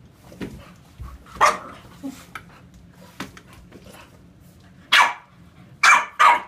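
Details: Two bulldogs at play, English Bulldog Sunny and Olde English Bulldog Emma, trade sharp, rough barks, a few scattered early, then three loud bursts close together near the end, with quiet scuffling between.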